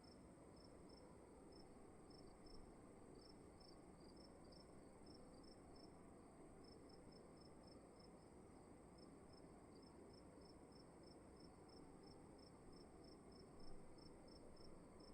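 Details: Indoor crickets at night in a dark room, giving thin high chirps in quick repeated runs with small gaps, two pitch lines alternating, set against a constant low rumbling room hum.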